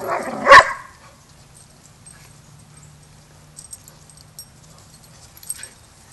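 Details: Single sharp bark from a dog at Border Collie boot camp, where young pup Rammstein, clueless about pack etiquette, has his first lesson with the pack; quiet stretch follows with faint low hum.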